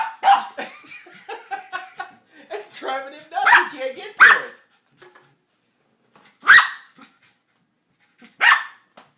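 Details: A person talks while Froto the dog, frustrated by a cat toy with a trapped ball, answers with three loud, isolated barks spaced about two seconds apart after the speech.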